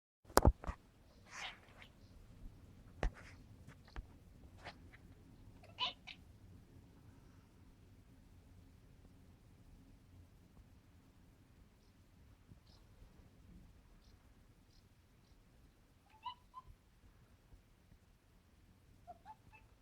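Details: British Shorthair cat (Felis catus), chattering: excitement at the sight of birds.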